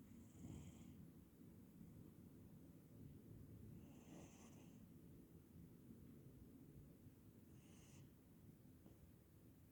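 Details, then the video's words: A Scottish Straight cat sleeping in the sun snores softly: three faint, hissy, breathy exhalations arrive about every four seconds, each brief, over a low, steady background rumble. "Котик спит и храпит на солнышке"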